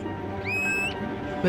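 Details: Beluga whales of Hudson Bay, returning each July to their summer home and calling back and forth in a complex song underwater; a single bright whistle sweeps upward and then holds steady before ending abruptly, over soft orchestral music.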